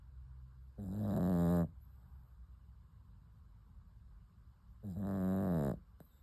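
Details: A sleeping puppy snoring: two long, rasping, buzzy breaths, each just under a second, about four seconds apart, with near silence between them.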